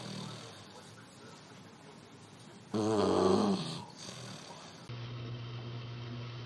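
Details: Puppy snoring in its sleep: one loud rattling, buzzy snore lasting about a second, surrounded by quieter breathing and low room hum.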